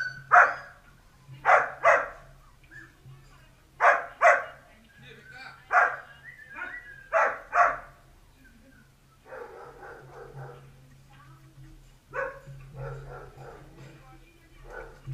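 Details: Dalmatian puppies playing bark in quick clusters of two or three sharp yaps, then give softer, rougher barks in the second half, with a constant low hum behind them.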